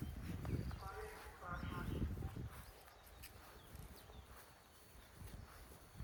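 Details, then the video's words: Sheep on a farm with baby lambs, homemade recording: two wavering, nasal bleats in the first two seconds, then low rumbling background with scattered thuds like hooves or footsteps. "Sheep and lambs on farm | natural sound"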